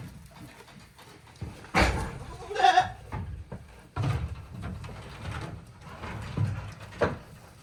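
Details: Day-old kids on Yoshigake goat farm, recorded 17 April 2024, give a few short, quavering bleats, two close together near two seconds and one more near the end, over low rumbling handling noise and a faint voice.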